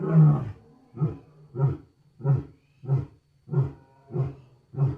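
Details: Wild lion roaring loud: a long deep opening roar followed by a steady series of short, throaty grunting roars, about one every two-thirds of a second, with a low rumble between them.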